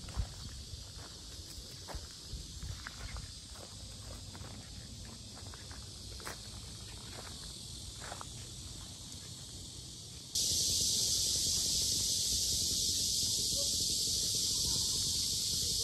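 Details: Very loud cicadas around the lotus ponds of Sinjeongho, Asan, Korea: a continuous high buzzing drone under walking footsteps, then at about ten seconds the shrill hiss swells sharply and fills the rest of the recording.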